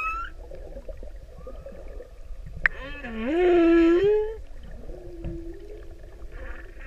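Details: Male humpback whale singing for a female in the Pacific: a single drawn-out moan that sweeps upward and then holds a rising, harmonic-rich tone for about a second, with faint underwater crackle around it.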